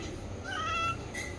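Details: Pet cat at home, recorded 2/1/2026, while a person coaxes it to speak and offers milk: one short drawn-out meow with clear rising then level harmonics, followed by faint room noise.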